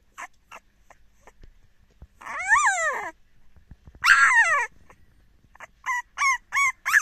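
A French Bulldog puppy protests with rising-and-falling whiny yelps and short high yips.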